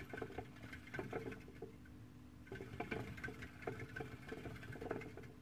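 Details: Female Syrian hamster moving about inside an Ikea cage, recorded on a Samsung Gear 360: bursts of soft scratchy pattering and light clicks in two spells, with a steady low hum underneath.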